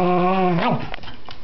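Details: Pet dog at play with a new toy, giving a sustained tonal moaning growl that dips and breaks off after half a second, followed by softer rustling and faint noises.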